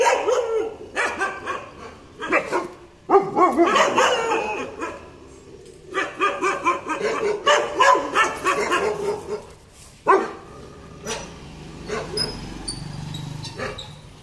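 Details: Aggressive German Shepherd barking in rapid irregular bursts, harsh barks clustered with short gaps, a few sharp single barks later, faint high tones near the end.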